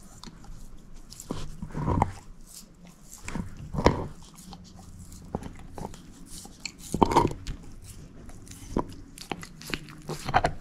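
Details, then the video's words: Bone-eating by Moose, a female shepherd mix dog: irregular loud cracking bites roughly every two to three seconds over soft scraping and a faint background hum, with no talking. "SHEPHERD EATING BONE ASMR"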